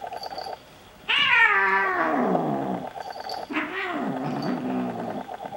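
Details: Xena and Gabbi, two Bengal kittens, wrestling in play or a fight; a long moaning yowl sliding downward for about two seconds, then a second shorter wavering yowl.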